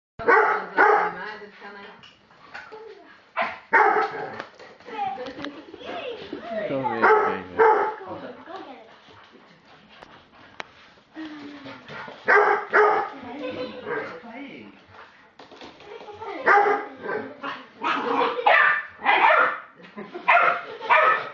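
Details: A 12-week-old Staffordshire Bull Terrier puppy gives bursts of sharp, high barks and yips at an Old English Sheepdog in a barking match, with a human voice at times.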